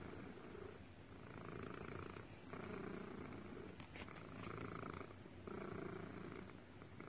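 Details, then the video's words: Cat purring in a steady rhythm, each surge of rumbling lasting about a second before a brief dip, the pattern repeating evenly throughout, with light background hiss. "Cat purring compilation"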